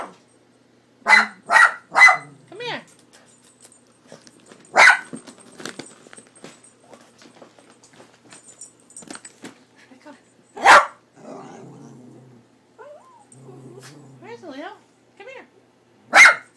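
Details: Pet dog named Leo barking at the cat picture on a cat food bag out of fear: three sharp barks in quick succession at the start, then single loud barks spaced several seconds apart, with a person calling him to come.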